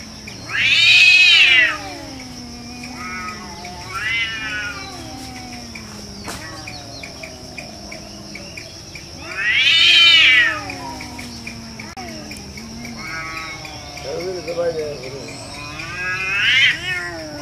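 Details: Jungle cat fight with drawn-out, quavering yowls that slide down in pitch, broken by three loud harsh screams about every seven to nine seconds, while a constant shrill insect tone runs beneath.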